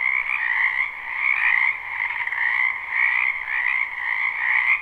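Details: Live unlooped recording of many frogs in a spring wetland behind a house: continuous croaking chorus of layered trills, swelling roughly every second and a half, with no other clear sounds.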